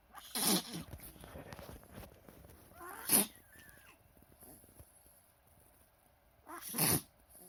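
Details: Chihuahua indoors having repeated reverse sneezing episodes, appearing distressed; later checked by X-ray with trachea, lungs and heart fine. Three sharp, harsh snorting gasps, around half a second, then three seconds, then seven seconds, with quiet between.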